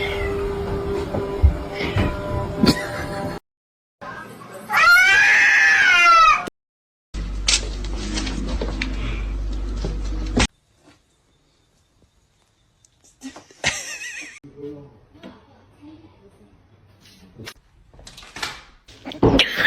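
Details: Domestic cat in a funny pet compilation, one loud drawn-out harmonic meow rising and falling amid quick cuts, with human voices, bits of music and stretches of near silence between scenes.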